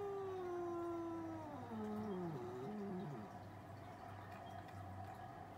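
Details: Cats arguing; a long, sliding yowl that falls gradually in pitch, breaking into wavering, descending growly moans before fading into a background hum.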